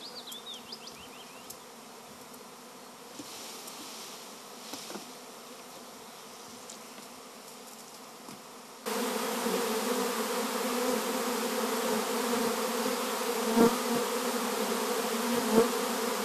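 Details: Honey bee swarm: a soft, distant hum with bird chirps at first, then the droning buzz abruptly becomes much louder and closer, a strong steady hum with clear low tonal bands.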